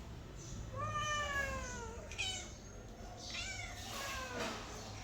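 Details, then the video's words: Mother cat with kittens: one drawn-out meow sliding slowly downward, followed by a short sharp mew and then softer, breathy overlapping mews, over a faint low hum. "Mother cat with kitte behavior sound effect"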